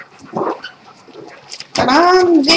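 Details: Rex, a rescued German Shepherd over a bout of pneumonia after two hospitalizations, streamed live: soft murmured voices, then a loud drawn-out whine that rises and falls over under a second, with a brief catch at the end.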